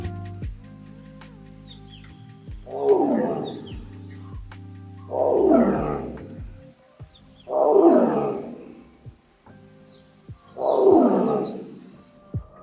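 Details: Male tiger announcing his presence, a call used to mark territory, warn intruders or call cubs. Four deep, rasping roars, each rising then fading, come roughly every two and a half seconds over soft background music.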